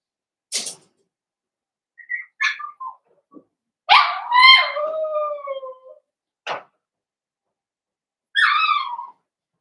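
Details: Blenheim Cavalier King Charles Spaniel puppy in a litter of five born to Paris and Spike, indoors; a drawn-out crying whine that slides downward for about two seconds, framed by short squeaks and a final wavering yelp.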